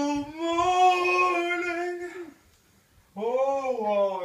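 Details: Ziggy, a Samoyed, singing along to an advert song he always pays attention to: a sustained, steady, tonal howl of about two seconds that fades out, then after a short silence a rising-then-falling wavering howl.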